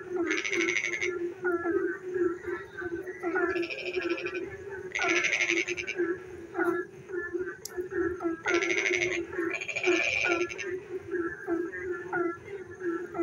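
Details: Nighttime frog chorus during rain, several callers overlapping: a constant humming drone under quick upward chirps, broken by harsh rattling pulse trains about a second long that recur at irregular intervals.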